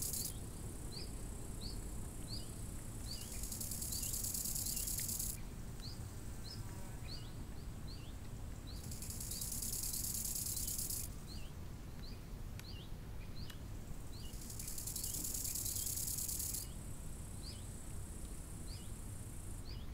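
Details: Crickets by a lake in summer: a high, dense shimmering buzz that swells in bursts of two to three seconds, with quick rising bird chirps repeated throughout and a steady low rush of wind.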